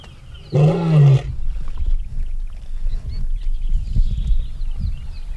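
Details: Two male lions at a fence separating their territories, the more mature one dominating the younger: a single loud, rough, low growl lasting under a second, followed by quiet outdoor rustling and faint distant bird chirps.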